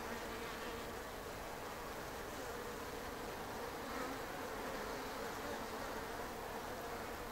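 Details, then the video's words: Japanese honeybees (Apis cerana japonica) filling an observation hive on the ceiling of a shed in Japan with an even, unbroken buzzing hum, no other sounds standing out. "Observation Hive of Japanese honeybees"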